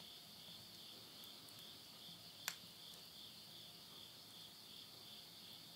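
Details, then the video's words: Insects at midnight at the end of summer, September 2020, in the countryside of Yurihama, Tottori, Japan: a steady, high, shimmering trill with a faint pulsing beat, broken by one sharp crackle of burning wood in a stove. "the voice of insects"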